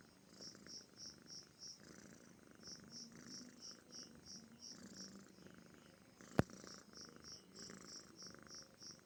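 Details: Deep, steady purring from a relaxed, comfortable pet cat, swelling and fading in even cycles, with a loud snap at about six seconds and persistent high cricket chirps in the background.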